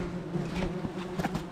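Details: Wasps swarming from a disturbed nest under the roof tiles of a house, furious at being disturbed during nest removal; a steady low droning buzz with a hum throughout, rising in short louder swells.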